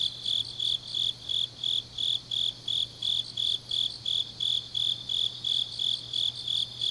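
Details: Grass insects calling on an autumn night in Changnyeong, South Korea: bright, high chirps repeating roughly three times each second in a steady beat, faint buzzy overtones, and a low electrical-like hum.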